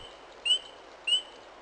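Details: A spring peeper in spring, one of the first animals to wake from winter sleep, gives two bright, piercing upslurred peeps about six-tenths of a second apart over a faint steady hiss.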